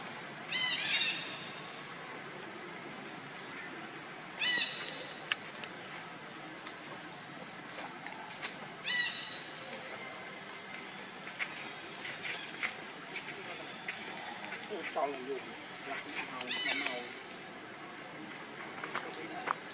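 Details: Baby monkey named Lucie begging her mother for milk and being refused. She gives short, high, squealing cries in bursts, spaced by several seconds of quiet, over a constant high insect-like hum and faint rustling.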